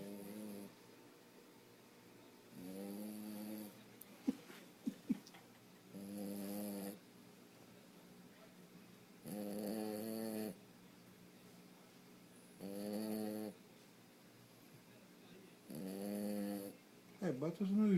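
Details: Fred, a French Bulldog, snores while sleeping: low, harmonic, rasping snores recur about every three seconds, six in all, with quiet gaps and a few sharp clicks between them.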